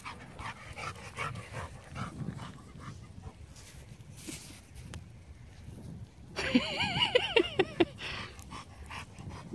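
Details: A puppy and a Labrador at their first meeting, playing together. Rustling and soft movement, then a burst of high, arching whines and yelps with bright overtones over about a second and a half, and Dutch speech nearby.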